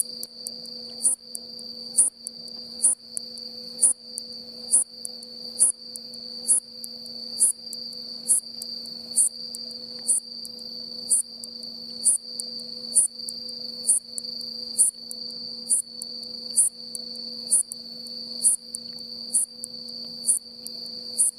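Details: On an autumn afternoon, 9 October 2017, in rural Mishima, Hagi, Yamaguchi, Japan, a wing-worn Hayashi-no-umaoi bush katydid repeats its swee-chon song: crisp, high chirps nearly once per second, about twenty in a row, over a continuous thin, high background drone.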